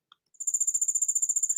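A cricket gives a pure-toned, high trill of rapid, evenly spaced pulses.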